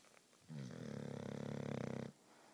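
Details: Female English Bulldog, a loud sleeper, snoring while asleep: one long, rattling, pulsing snore with a steady buzzy tone lasting about a second and a half, then quiet breathing.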